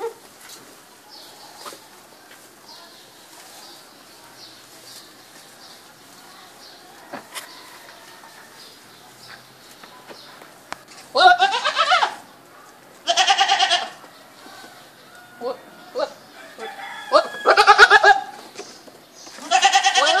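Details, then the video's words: Goat bleats arriving in the second half after a quiet stretch of faint chirping: several wavering, nasal calls, some in quick pairs, against soft background noise. "اصوات ماعز goat sounds"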